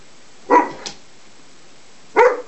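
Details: Play bout between Juno and Maverick, a Greater Swiss Mountain Dog puppy who seems unsure about it: two sharp, loud barks roughly a second and a half apart, with quiet in between.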